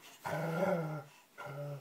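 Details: Basset hounds being teased by people: a low, droning, groaning growl lasting about a second, a short pause, then a second similar low moan.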